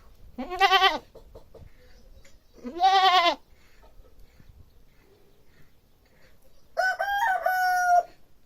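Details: A goat bleats loudly twice in wavering, quavering bursts about two seconds apart, followed near the end by a rooster crowing.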